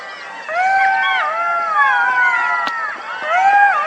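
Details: Golden jackals howling: several overlapping, wavering, drawn-out tonal wails rise and fall together in a chorus over about three seconds, with a brief sharp click midway and a quiet background.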